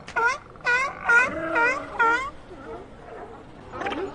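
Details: Sea lions give five quick harmonic barks in the first two seconds, then quieter moaning calls and one last bark near the end over a low background hum.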